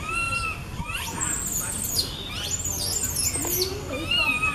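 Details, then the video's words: Baby monkey calling out to its mother in a tree: shrill, screechy squeals sweep up and down, mixed with thin, arched, whistled cries in quick succession, with outdoor background noise. "the baby monkey calls out to the mother on the tree"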